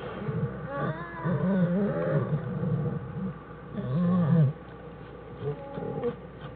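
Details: American black bear Jewel with her cubs Fern and Herbie inside their den on January 1, 2013, Wildlife Research Institute study; low, buzzy, humming vocal sounds with layered harmonics come in two main bursts, the second louder, against a steady low rumble.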